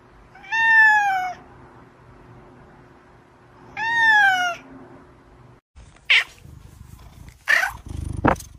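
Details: Pet cat meowing twice, each meow long, nasal and slightly falling, about three seconds apart over a quiet background, followed by sharp knocks and clicks after a cut.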